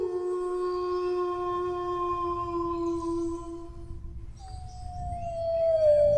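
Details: A dog's low, unbroken howl held on one steady pitch for about four seconds, fading out before a higher howl begins and slowly slides downward, with soft low-frequency background noise throughout.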